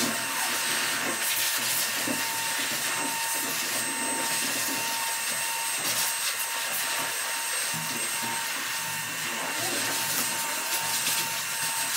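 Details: Steady, loud blower or dryer hiss fills the room, with faint speech underneath and no animal voice.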